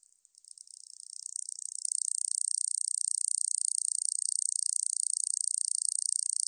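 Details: A katydid (여치), recorded by the National Institute of Biological Resources in 2020, starts with hesitant ticks that quickly swell into an unbroken, shrill, rattling buzz of rapid pulses that holds steady to the end.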